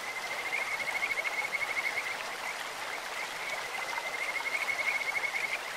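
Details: In a clear stream, Kajika frogs call in two long runs of fast, pulsed, bird-like whistles at one even pitch, separated by a brief pause, with steady hissing water noise throughout.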